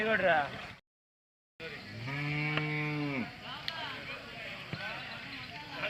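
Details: Hallikar cattle at the Sunday Jodugatte cattle fair in Turuvekere taluk, Tumkur district, Karnataka: one low, steady, drawn-out moo lasting about a second and a half, framed by nearby conversation and general market chatter.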